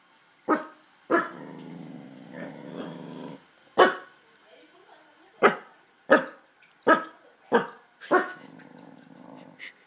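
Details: Male corgi indoors, upset by luggage he dislikes, growling more than ever before: sharp barks spaced about a second apart, broken by two long low rumbling growls, one around two seconds and another near the end.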